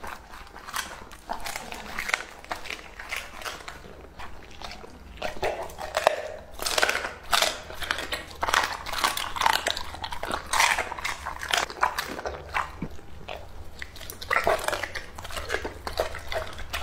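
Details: Two-and-a-half-year-old English-type Labrador Retriever eating raw meat indoors, a meal of duck heads, chicken thighs, baby cabbage and dragon fruit; wet crunching and biting bursts come steadily for the whole stretch, some louder snaps, a quiet room behind.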